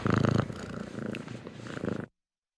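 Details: Short burst of cat purring, a low pulsing rumble strongest at the start, fading and swelling again before stopping abruptly after about two seconds, followed by silence.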